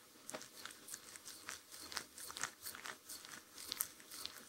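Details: Sheltie eating, recorded indoors at close range with no music: steady crisp crunching bites, roughly two per second, with a soft room hiss underneath.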